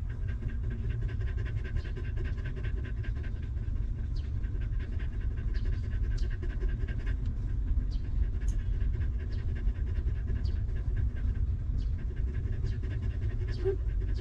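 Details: Homeless dog mother with her young puppies, since given shelter and food; continuous rhythmic panting under strong low-frequency noise, dotted with scattered faint clicks and short high ticks.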